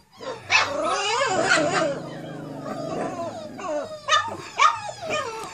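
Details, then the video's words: Four-week-old Cane Corso puppies on their first time outside: overlapping high, wavering whines and short yips, with sharp bright yelps near the start and again toward the end, several pups calling at once. "Cane Corso pups, 4 weeks old, first time outside"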